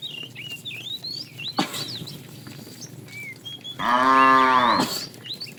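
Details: Tame cows running happily toward a green pasture as they are herded in the morning; a single rich, sustained moo of about a second follows a sharp knock, with birds twittering in the background.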